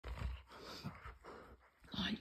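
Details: An excited husky, eager to play and refused its ball by its owner, growls at the owner in short bursts of low, rumbling play growls.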